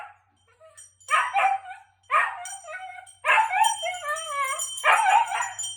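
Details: A husky howls after hearing a very loud bell: four strong wavering, yodel-like cries about a second apart, each sliding and bending in pitch, with a faint steady ringing tone above and a low hum beneath.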